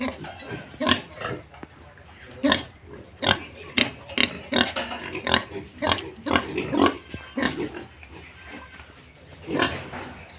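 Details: Farmed Yorkshire and Hampshire pigs and piglets in Bongaigaon, Assam, uttering loud, hoarse, broadband grunts and short squeals in separate bursts roughly every half second to second, with faint speech underneath.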